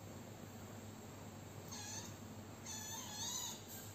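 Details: Kittens nursing and playing with colourful toys give two thin, high mews, the first short, the second longer and slightly wavering, over a steady low background hum.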